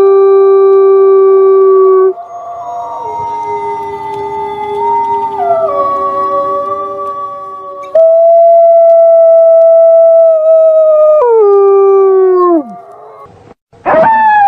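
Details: A wolf howls at night in long, smooth, mournful tones that hold steady and then slide downward.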